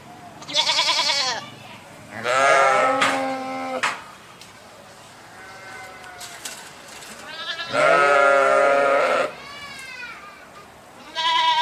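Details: Sheep giving repeated wavering bleats, some short and high, others longer and richer, spaced a few seconds apart with quiet murmurs between.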